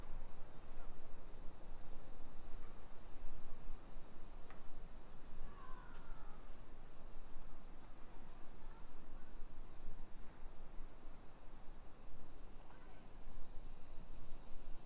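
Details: Summer cicadas in a hillside residential suburb of Nisshin, Aichi Prefecture, Japan, at 1 PM on 28 July 2021. A steady, high, hissing drone holds unbroken throughout, over a low rumble of outdoor background noise with a few faint chirps.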